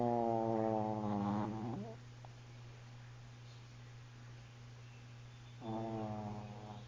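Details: Sleeping Chihuahua named Bella snoring indoors: two drawn-out, tonal, whistling snore breaths, the first bending upward at its end, separated by several seconds of quiet; a steady low electrical hum runs throughout.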